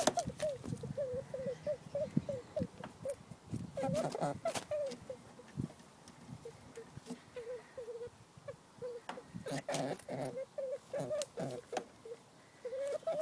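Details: Female pet rabbit, one of two sisters, squeaking in distress and anxiety after being persistently mounted by her dominant sooty fawn sister; short mid-pitched squeaks repeat steadily in a series, with human speech at the start and again later.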